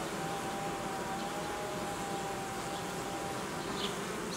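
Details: Honey bees of a colony being reorganised in a cooling season, frames removed from the hive edge; a steady swarm hum with a thin faint steady whine running through the first part of the clip.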